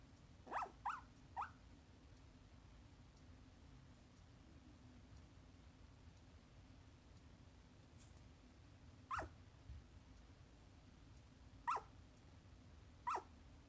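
A corgi puppy talks in its sleep, making quick, muffled woofs and little whimpering yips, first a cluster of three, then scattered singles. A faint steady hum sits beneath the quiet room.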